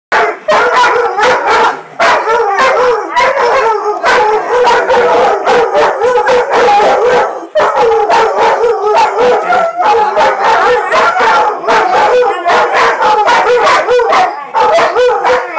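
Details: Several German Shorthaired Pointers howling together indoors, long wavering harmonic howls overlapping continuously with yips and barks mixed in, loud and sustained with only brief pauses.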